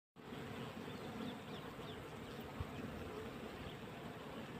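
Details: Honey bees swarming over a hive frame in winter, a dense steady hum of many wings with a soft low drone, the sound holding level throughout without pauses.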